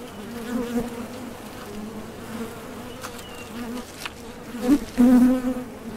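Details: At the entrance of a Top Bar Hive, honey bees come and go foraging for nectar; a low, even background drone, broken near the end by two loud, close buzzing passes of single bees.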